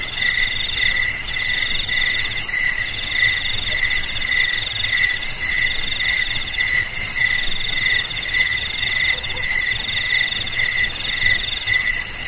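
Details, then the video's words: High-pitched cricket chorus: shrill pulsing chirps repeated steadily, with overlapping ringing bands and an even, unbroken loudness throughout. "Suara JANGKRIK"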